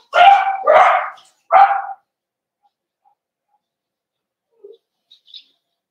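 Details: Cavalier King Charles Spaniel puppies meeting the household's big dogs indoors, 12/13/22: three strong, rasping barks in under two seconds, followed by near silence with a couple of tiny faint squeaks.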